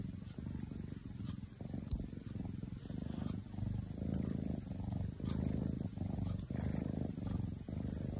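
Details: Kitten fast asleep, purring with a low, uneven rumble in rhythmic breathing pulses, growing louder from the fourth second, faint high squeaky tones above.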